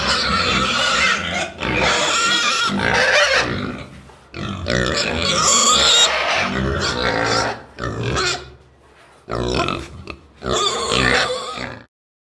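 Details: Pigs in a stable squeal and grunt in loud, harsh bursts separated by brief pauses.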